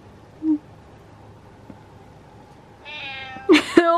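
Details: Domestic cat letting out a loud, quavering meow near the end that breaks into a harsh, strained wail, after a quiet stretch with a faint thin tone and a brief chirp.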